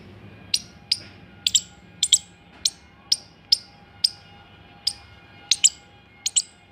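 An Indian palm squirrel gives sharp, high chips, repeated about twice a second, sometimes doubled.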